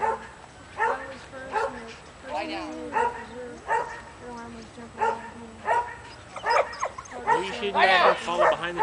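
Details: Amped-up Border Collie/McNab cross named Luther, nearly three, at a herding training clinic after release from a trailer. High barks and yelps repeat about every half second, mixed with people talking nearby.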